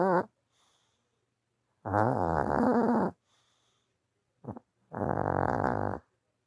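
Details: Dog snoring while sleeping from tiredness in a small room; harsh, buzzing snore bursts of about a second, spaced by quiet pauses, with a short snuffle between them.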